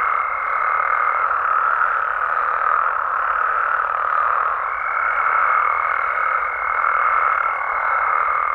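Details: Nighttime frog and toad chorus from amphibian habitats in Mexico: a dense, unbroken mass of overlapping trills and croaks, with a thin steady whistle-like tone running above at the start and again from midway.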